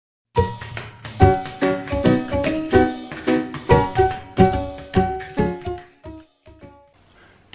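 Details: Plucked, bell-like music notes strike in a steady rhythm, each decaying quickly, then thin out into near silence; no animal sound is heard.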